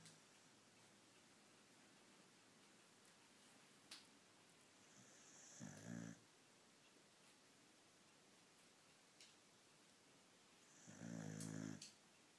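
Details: Sleeping Beagle indoors snoring in two long rasping breaths, one around six seconds in and another near eleven seconds, each a low rumbling snore with quiet room hiss between them.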